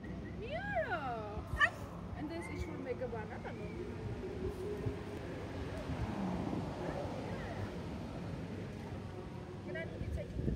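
A Bull Terrier puppy gives a few high, yelping barks and yips, with people talking nearby.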